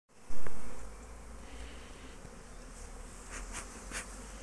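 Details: Honey bees foraging on 12 March 2024 at an apiary: a sudden thump at the start, then a steady low, droning hum that continues evenly to the end.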